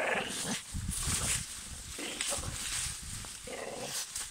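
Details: A Staffordshire Bull Terrier that dislikes a garden tree gives low, gruff barks and growls at it over steady outdoor noise.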